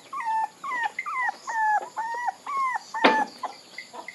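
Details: Puppy whimpers: a run of short whining squeals, each rising then dropping in pitch, spaced about half a second apart, with one sharper yelp midway.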